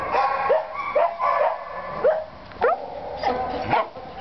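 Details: Young white shepherd dog with a wavy coat, a Maremma mix, kept behind bars after losing its home, gives about eight short, sharp barks and yelps, some sliding upward into whiny notes, spaced irregularly over four seconds.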